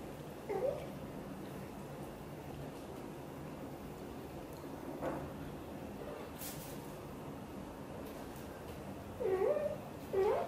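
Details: British Shorthair mother cat Xaxa, blue golden, talking to her tiny kitten Piano indoors: a short rising-falling meow near the start, then a pair of wavering meows close together at the end, with low background hum between.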